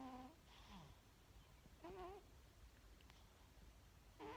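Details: Sleeping pet cat indoors giving three short, wavering, harmonic snoring moans, with faint rasping breaths between them.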